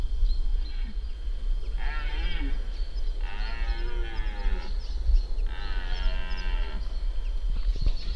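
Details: Red deer stag, an irregular fourteen-pointer, during the 2025 rut in Spiš, Slovakia: drawn-out harsh roars with dense harmonics, three bellows over eight seconds against steady low rumbling wind noise.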